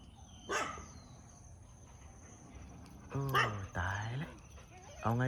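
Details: Local resident dogs bark loudly at a pit bull being walked past them: one sharp bark, then a pause, then three louder barks with a short yelp at the end, while a person talks in alarm.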